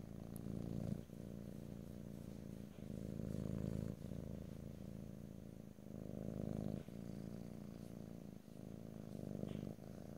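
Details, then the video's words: Low steady purring from a domestic cat, stereo and no talking, rising and falling in swells of about one to two seconds each as the animal breathes. "ASMR Cat: Purring"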